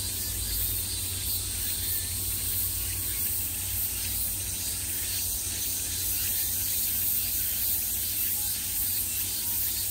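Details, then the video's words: Cicadas at the peak of summer, calling all around in a thick, hissing buzz that swells slightly and then evens out, over a deep background hum. "매미소리를 들으며 휴식. Cicadas's buzzing sound"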